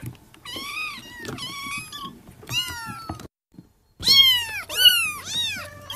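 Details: A young Persian kitten mews repeatedly, each call a high, clear meow that arches up and slides down, about once a second with a short pause midway, crying out for its mother.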